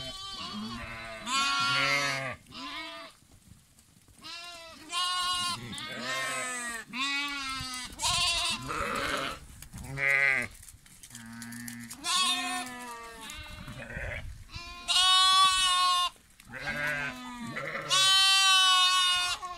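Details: Several lambs calling in a steady chorus of short, shaky bleats, some high and thin, others lower and nasal, overlapping with brief pauses between cries.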